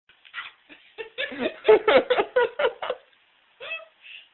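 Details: Pet dog named Bradley singing, a burst of quick rising and falling whining yowls over about two seconds, then a short pause and a couple of softer higher whines.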